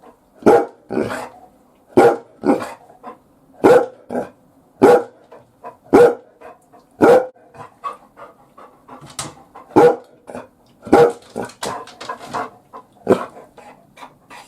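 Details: Labrador Retriever barking as a watchdog, guarding the house from inside the bath: deep, rough barks repeated roughly once a second in uneven bursts, with a few softer huffs between.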